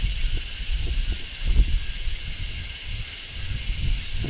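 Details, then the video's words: Summer song of a large brown cicada on a tree: a constant, bright, hissing shrill sustained throughout, backed by faint low rustling and rumble. "Cicadas Singing in Midsummer | Large Brown Cicada"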